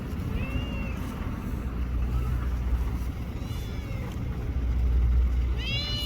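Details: Stray cats outdoors at a park or port in Japan, a small black-brown tortoiseshell and a young black cat: two clear rising-falling meows, one early and a louder one at the end, over steady low wind rumble.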